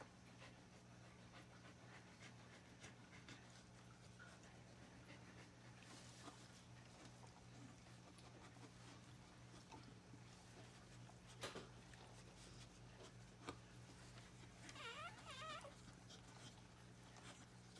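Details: Birthing dog panting steadily while puppies are delivered indoors; soft breathy rhythm over a constant low hum, with a short squeaky whimper near the end and a couple of sharp knocks.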